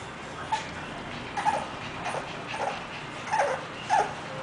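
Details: English Bulldog named Queen whimpering: about six short, high, nasal whines come at irregular intervals of roughly half a second to a second, each brief and slightly breathy, over a soft steady background hiss.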